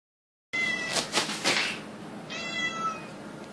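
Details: A cat, filmed on a phone, gives two clear meows: the first loud and drawn out over about a second, then a shorter, softer one after a brief pause, with a faint background hiss.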